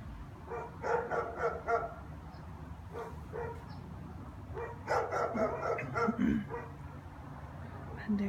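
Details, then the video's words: A German Shepherd barks in quick bursts of deep, rough barks, several in a row, at nothing, on a January afternoon at 3:15, as it does every afternoon. "German shepherds barking 1"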